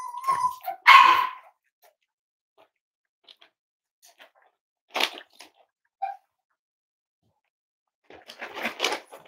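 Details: Indoor litter of five-week-old Cavalier King Charles Spaniel puppies: a brief whine and a sharp yap, scattered quiet squeaks, then a rough cluster of barks after a long pause.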